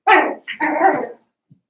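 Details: Seven-week-old Cavalier King Charles Spaniel puppies from Daisy's litter in an indoor pen in a family home; a loud, harsh bark-like yelp in two bursts, the second longer and steadier, then quiet.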